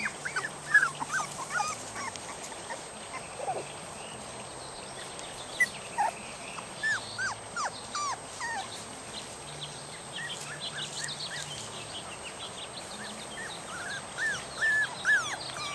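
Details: Litter of 3.5-week-old puppies whining after being taken from their familiar home, woken from deep sleep and set out in a yard, wanting their mother to feed them; scattered high thin whimpers and squeaks, irregular and overlapping, with a steady background hum.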